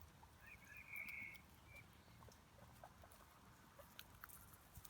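A hamster lets out a brief, thin, high-pitched squeak, then a shorter second one. After that come quiet, scattered clicks and crunches of chewing.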